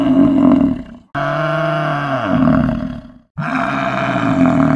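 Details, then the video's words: Low, rough buffalo bellow, a sustained harmonic moan that sinks in pitch before cutting off; two calls are broken by brief gaps of silence, with nothing else audible. "BUFFALO VOICE"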